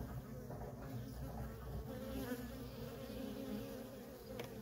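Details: Feral honey bee colony with nonstop worker traffic, its even droning buzz running throughout beneath a heavier rumbling low-frequency background, plus a brief sharp tick near the close.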